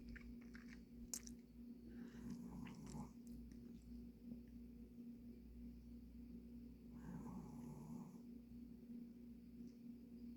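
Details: Sleeping Pomeranian Dujin, tired after energetic play, produces two soft, husky snores about five seconds apart indoors. Light clicks and a continuous low background hum surround the breaths.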